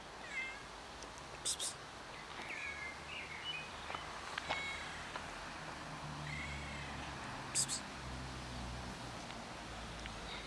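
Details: ['Pregnant black cat with a big belly seeking attention, giving several short, thin, arching meows spread across the recording, with sharp clicks and a steady low background hum.']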